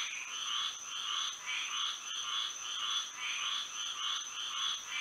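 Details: Night-time frog chorus in Florida by moonlight: overlapping bursts of grating croaks, roughly two per second, stacked in two bright bands, with a constant thin high tone running underneath.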